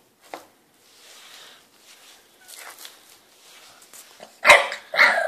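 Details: Three-month-old French Bulldog puppy, impatient and wanting a hand brush, gives soft whines and snuffles, then two loud, harsh, raspy barks near the end.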